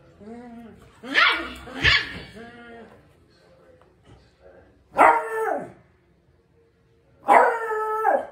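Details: A small Beagle puppy playing with its dad gives high, arching yelps and short barks in bursts a few seconds apart.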